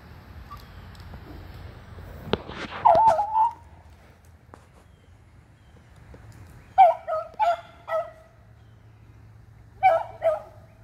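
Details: Beagles Athena, Zeus and River, two aged eleven and one aged three, treeing squirrels on June 3, 2020: a drawn-out bay followed by a cluster of four sharp harmonic barks and then two more, with faint low hum beneath.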